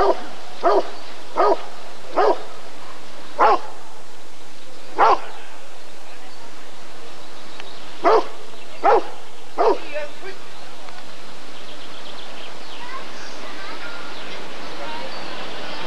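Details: At the ADRK Körung breed survey in 1994, a Rottweiler gives a run of eight sharp, deep barks over ten seconds, irregularly spaced, then falls silent while quiet room noise continues.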